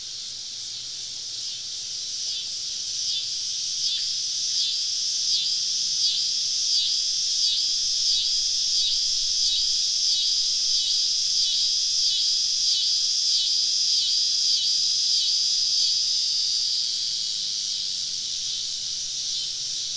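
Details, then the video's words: Southern summer evening in deep woods, cicadas all around a campsite; a high buzzing chorus rises, beats in quick regular pulses with a thin rattling overtone, then eases off. "Southern Evening Summer Cicada Symphony"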